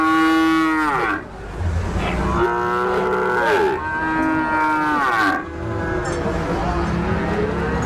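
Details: Loud, clear cow moos, three long bellowing calls that each start strong and slide downward, with faint voices behind.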